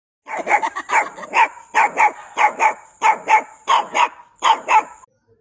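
A puppy gives a run of high, sharp barks, often in quick pairs.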